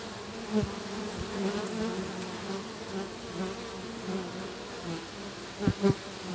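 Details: Cluster of guard honey bees conferring at a hive entrance, joined by a future forager, 3 July 2023 at 1 pm under cloudy skies with a 25 km/h wind; even low buzzing drone, two sharp louder buzz pulses near the end.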